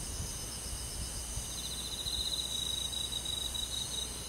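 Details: Night-time summer chorus of crickets and forest insects: an even high shimmer, then a pulsing chirped trill starting halfway through and continuing to the end.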